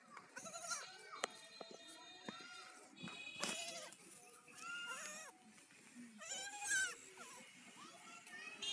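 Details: Baby goats from a compilation of funny goat moments, bleating in a string of short wavering cries, some higher and quavering, over a busy background with clicks and a little speech.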